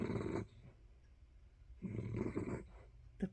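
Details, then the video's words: Sleeping dog under a blanket gives two rough, low snoring breaths about one and a half seconds apart, each a short raspy rumble, followed by a faint catch of breath in a quiet indoor setting. "snores of Budgie dog"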